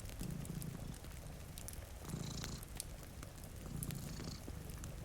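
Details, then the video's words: Low purring from two cats asleep by a rain-streaked window, with the rumbling swells coming about every two seconds under crackling firewood and soft rain. "Purring Cat"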